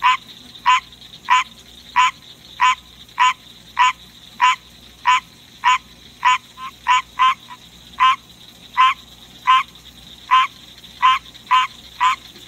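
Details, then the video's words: Male green tree frog kept as a pet, singing in the middle of the night: quick, regular quacking croaks about every half second, a few softer doubled notes in the middle, low steady hum behind. "Green Tree Frog Song"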